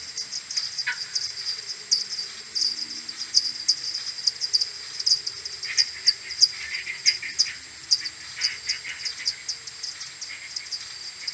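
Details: Common pipistrelle maternity colony returning to its roost in the morning on 21 May 2022, recorded on an AudioMoth 1.1 and slowed tenfold: dense streams of short ticking pulses, with scattered lower chirpy calls in the second half.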